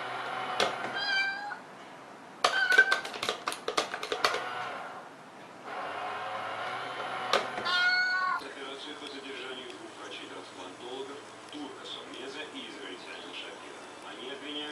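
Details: Domestic cats from a compilation of funny cat moments, giving short meows among sharp clicks and knocks, with human speech and a steady background hum in the second half.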